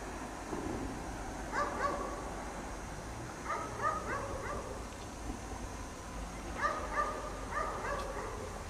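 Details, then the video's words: Dog chained outside in the cold snow all day, barking; distant harmonic barks come in pairs and short bursts every couple of seconds over a steady low rumble of background noise. "Dog Barks all day in the snow"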